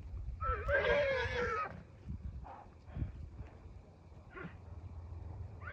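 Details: Wild horse giving a strong, rough, harmonic neigh of about a second and a half with a wavering pitch, then a few faint short calls and low outdoor rumble.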